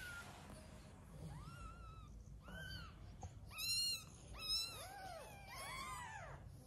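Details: Newborn kittens crying while being hand-fed because the mother cat's milk is not enough: thin, high, arched mews repeated in quick succession, some overlapping, growing louder toward the middle, over a low background hum.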